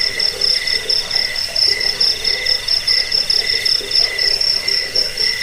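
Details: Cricket used to repel rats and as a bird-training recording; sharp, high chirps pulse rapidly and regularly throughout, layered with a quieter lower buzzing band and faint ambient hiss.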